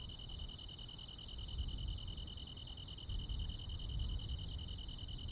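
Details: Crickets and other insects calling on a summer night in the countryside: a steady, rapidly pulsed high trill runs throughout, with a fainter, higher ticking rhythm layered above and a soft low rumble underneath.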